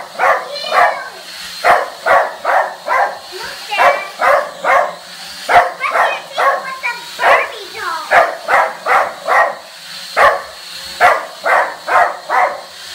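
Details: Dog barking at a drone: rapid sharp barks in quick bursts, roughly seventy per minute, interrupted by brief higher whining sweeps, over a steady high-pitched hum.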